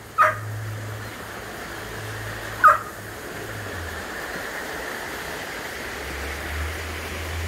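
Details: A Border Collie near a deep valley stream, demanding to go along, gives two short, high bird-like chirping whines, a couple of seconds apart, over a low engine rumble.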